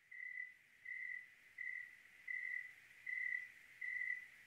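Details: Cricket on a clear night in Oregon: steady, even-pitched chirps, each about half a second long, repeated roughly every three-quarters of a second, six in a row over a quiet, hushed background.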